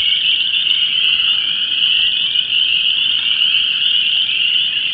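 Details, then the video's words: In a disturbed ephemeral depression in Vermilion County, Illinois, Chorus Frogs, Spring Peepers and Wood Frogs sing their love chorus: a steady, dense high-pitched trilling and peeping that never pauses, with only faint wind behind. "Vermilion County Frog Chorus"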